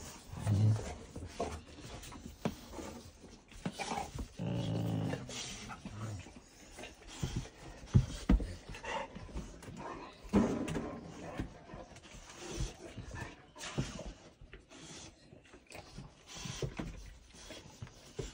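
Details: Cane Corso puppies meeting friends: low, rough growls and snuffling panting come in uneven bursts. Brief thumps and rustling movement noises sound between them.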